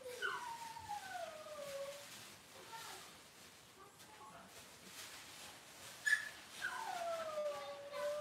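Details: Cavalier King Charles Spaniel puppies from Robin's litter on an indoor livestream: two faint, drawn-out whines sliding downward in pitch, one at the start and another near the end, with quiet room noise between.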